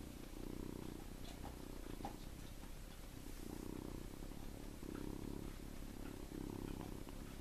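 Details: Seven-week-old farm kitten named Tommie sleeping in a hand, giving soft rhythmic snoring and purring: low rumbling pulses in bursts of about a second, with brief pauses between breaths and faint clicks of handling.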